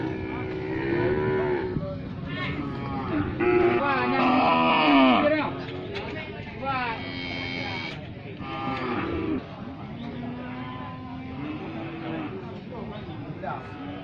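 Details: Brangus cattle, a breed described as top quality, lowing in drawn-out harmonic moos that waver in pitch and overlap, loudest between three and five seconds, then continuing as softer, steadier calls, with faint human voices in the background.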